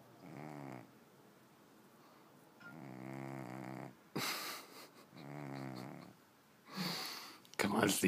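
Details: Moo Moo, a domestic cat, asleep indoors and snoring, unwilling to be woken; low, rumbling, buzzy snores with layered harmonics come in three drawn-out breaths about every two and a half seconds, while a person's voice coaxes it to wake up.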